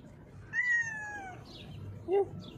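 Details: A female cat, blind in her left eye, hides under a mixer truck and gives one long, falling meow, then a brief, short chirp-like mew a second later.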